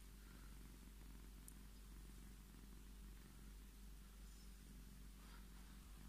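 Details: A Scottish Fold cat named Tommy claims his strokes, purring in a constant deep vibrating drone that holds without pause throughout, over a quiet indoor background.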